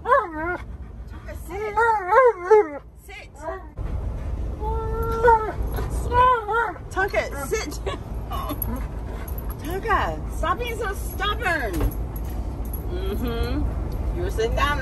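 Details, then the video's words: Tonka, a stubborn Alaskan Malamute refusing to wear his seatbelt, complains with wavering, yodel-like whines and woo-woo sounds, rising and falling in quick bursts, over a low rumble of background noise and a person's voice. "Mad Malamute Refuses To Listen | He Loves To Argue"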